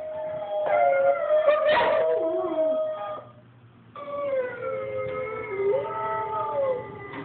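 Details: Cody, a five-and-a-half-month-old puppy, howls along to wolf recordings played indoors: layered wavering howls with several tones overlapping, a brief quiet gap, then more wobbling, rising and falling howls.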